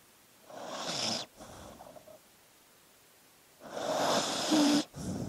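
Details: A dog sleeping gives two long, noisy breaths a few seconds apart, each a broad airy rasp lasting about a second, with quiet stretches between them.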